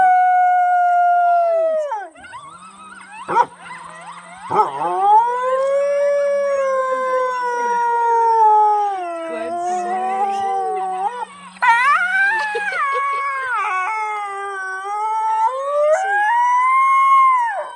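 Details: A coyote at Aspen Valley Wildlife Sanctuary gives a drawn-out howl that wavers, falling then rising in pitch, broken by quick yips, over a steady high hiss.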